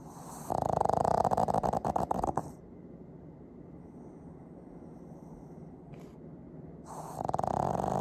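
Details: Loud snoring of a two-year-old Pug named Fujiko, filmed on an iPhone 15. A two-second burst of fast, rattling pulses is followed by a quiet pause, then another rasping snore begins.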